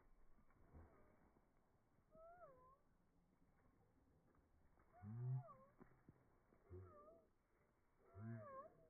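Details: German Shepherd puppy during rag and tug play training, giving thin wavering whines that rise and fall, broken by short low growly bursts near the middle and end, over a quiet rumbling background.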